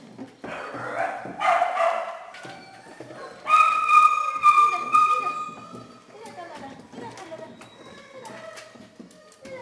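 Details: Small dogs and puppies held in a shelter kennel give a chorus of high yelps, then a long steady whine at about four seconds, followed by softer, quicker whimpers and short yips fading toward the end.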